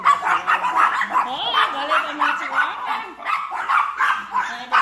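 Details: An angry, bold Chihuahua confronts a larger dog with quick, harsh yaps mixed with rising and falling whiny tones, barking in irregular clusters.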